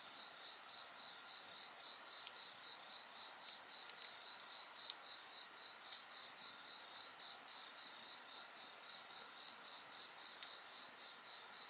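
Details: Insects singing at night beside a crackling bonfire: a steady high chorus with a pulsed trill near the top and a continuous band above, sharp wood pops and crackles scattered through.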